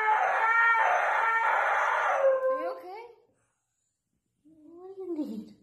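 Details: Dramatic screaming Husky at home during the owner's work-from-home day, giving a strained harmonic howl that trails off into descending whines, then a second of silence before a short wavering yowl.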